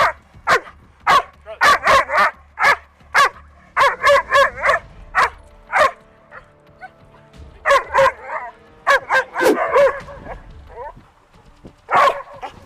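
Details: Eight-month-old female German Shepherd on a leash, barking reactively at another dog out of excitement and frustration rather than aggression; sharp barks come in rapid bursts of two to five, with brief pauses and a handler speaking between them.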